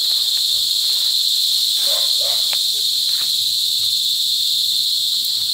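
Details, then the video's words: Cicadas during cicada season at Sitio Bagumbayan, Brgy. Balabag, La Carlota City, Negros Occidental, on July 18, 2020, giving loud mating calls: a continuous, intense, high shrill buzz without pause, with faint other sounds beneath. "Cicada Season | Cicada Mating"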